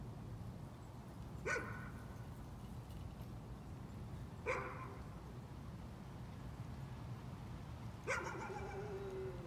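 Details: Nuisance barking from a dog, heard as three isolated barks spaced roughly three seconds apart, the last one slightly drawn out, with a constant low-pitched background hum throughout.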